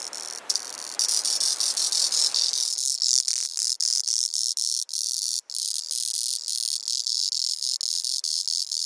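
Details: On Kunashir in the Kuril Islands, a male Auritibicen bihamatus cicada sings: intense shrill buzzing broken into quick regular pulses several times a second, preceded by a short faint buzz and hiss.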